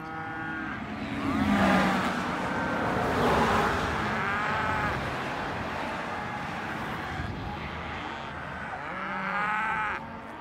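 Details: Cows mooing amid heavy broadband noise, a few long lows audible through the rumble, with clearer moos toward the end.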